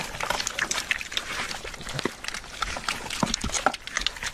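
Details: Pigs feeding noisily at a trough, with wet slurping, smacking and snuffling in quick, irregular bursts.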